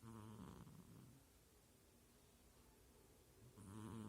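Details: Sleeping female kitten snoring with low, rumbling, purr-like breaths. One snore is heard at the start and another at the end, with quiet breathing hiss between them.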